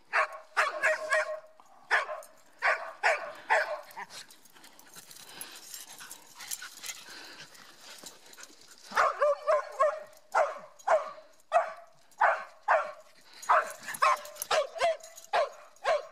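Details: Mieli, a dog with some Schipperke in her, racing around in zoomies during a hike at Grand Staircase-Escalante National Monument, Utah; rapid bursts of sharp barks, a quieter stretch in the middle, then a steady run of repeated barks.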